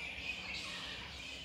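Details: Flying foxes in a rainforest at Paronella Park on Australia's East Coast, heard from a warm, humid bamboo forest, fill the air with a steady wash of high, squabbling screeches and chatter; microbats also flap around nearby.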